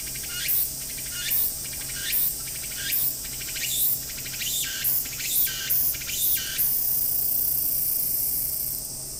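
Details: Walker's cicada (tsukutsuku-boshi) singing by Akisaizaki Station, Hiroshima Prefecture, Japan, heard from the waiting room; rhythmic buzzy phrases roughly every 0.8 seconds quicken, then merge into a continuous high hiss that fades toward the end.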